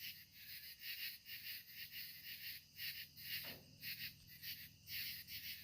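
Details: Evening katydids at sunset fill the air with loud, rasping bursts, repeated about twice each second.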